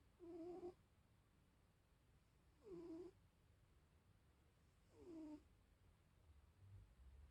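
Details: Sleeping, dreaming tabby cat snoring indoors: three short, tonal, nasal wheezes with faint harmonics, each lasting about half a second and recurring roughly every two and a half seconds, set against a quiet room.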